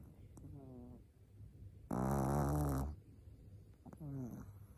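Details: Nao, a Shih Tzu puppy four months old, sleeping: one loud grating snore lasting about a second sits mid-recording, framed by softer wheezy inhalations before and after.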